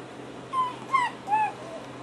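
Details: Three short, high whimpering whines, each bending slightly downward, heard while music plays; taken to be raccoon noises, though where they came from is unknown.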